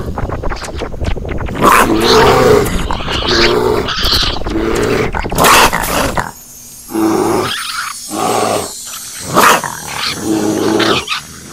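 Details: A male raccoon growls in dense, harsh bursts, first a rapid run of raspy snarls, then separate rough growls and short grunts spaced about a second apart against a faint hiss.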